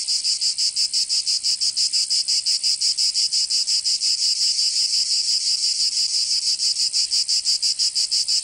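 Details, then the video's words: Summer cicada chorus in Provence, in the south of France, a harsh high buzz throbbing in fast, very regular pulses, nearly three per second, continuous throughout without pause. "Canto Cigarra 🦗 [ Escuchar les cigarras en verano 10 H]"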